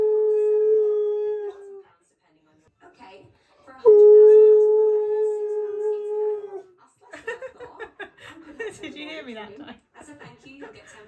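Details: Siberian Husky vocalizing angrily at its owner for talking over it: two long, steady, tonal howls of about two and three seconds separated by a pause, followed by a stretch of human speech mixed with the dog's broken, wavering vocal sounds.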